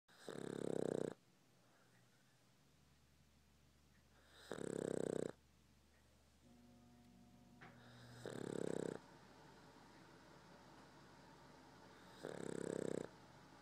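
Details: A sleeping Boston Terrier snores in long, rough rasping breaths roughly every four seconds, each snore lasting about a second with quiet gaps between, plus a faint steady hum indoors.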